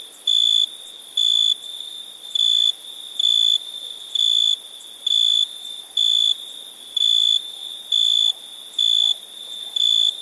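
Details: Crickets chirping at night: a steady high, ringing pulse about half a second long, repeated roughly once a second in an even rhythm, over a faint hiss.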